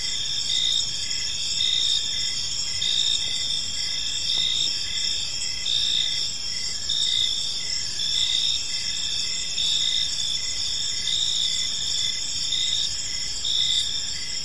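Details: Gentle evening cricket chorus in a quiet park, continuous high shrill trills overlaid with regularly pulsing chirps, a soft low background hum underneath.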